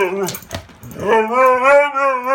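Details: A dog left without a playmate lets out a short whimper, then a long, steady, wavering whine that holds its pitch and swells slightly in loudness, with nothing else heard.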